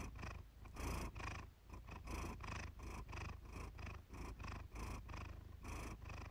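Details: Domestic cat purring contentedly indoors for a relaxation session: deep, rumbling purr in steady rounds, each inhale-exhale cycle lasting roughly half a second, soft and continuous with a faint rasp on top.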